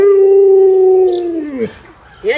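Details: Luoluo, a pet Alaskan Malamute, reacts while its owner lies sick in bed unable to get up. It gives one long, steady, mid-pitched howl for about a second and a half, then the pitch drops away, followed by a short rising yelp.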